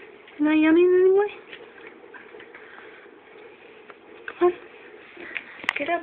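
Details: Samoyed puppy yawning on waking in a human-like way; a single voiced, slightly rising whine lasting about a second, followed by quiet indoor room noise and faint clicks.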